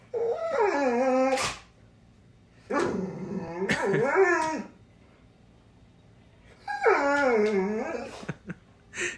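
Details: Pet dog frightened of a house cat sitting beside his ball, unable to fetch it while urged to get his toy; long wavering whimpers and howl-like whines in three bouts, each rising then falling, with a woman repeating "get your toy".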